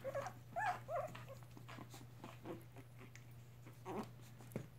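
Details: Mixed Chihuahua puppies, three weeks old, with their mother in a foster home; a few thin, wavering squeals at the start, then quieter snuffling and small yips over a constant low hum.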